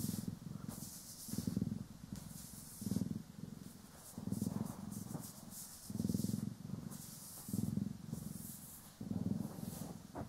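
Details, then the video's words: Domestic cat Poki or Kiwi purring during an indoor grooming and brushing session: a low, steady rumbling purr that swells and fades in rhythmic breath cycles, about every one and a half seconds, with soft brushing strokes hissing above it. "30 Min CAT ASMR | Purring, Grooming & Brushing"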